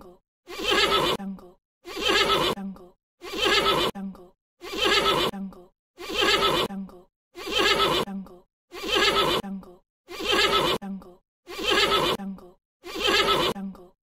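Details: Horse (Equus caballus), neigh.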